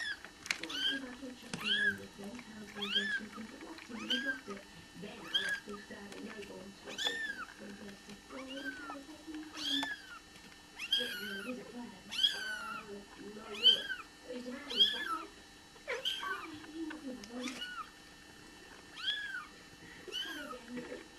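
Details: Bengal kittens mewing as they are born: many thin, high, arching mews repeated roughly once a second, overlapping one another, with low human murmuring underneath.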